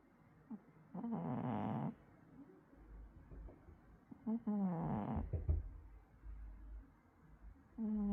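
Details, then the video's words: Cat asleep indoors, snoring or sleep-talking: two rough, breathy snore-like bursts about four seconds apart, mixed with short low moaning murmurs and a faint mew at the end. "고양이 잠꼬대일까요? 코골이일까요?"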